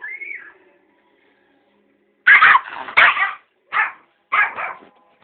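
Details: Ben, a pet Yorkshire Terrier guarding a box of sweets and keeping everyone away, gives a brief high whine, then after a pause four sharp, harsh barks in quick bursts, some doubled.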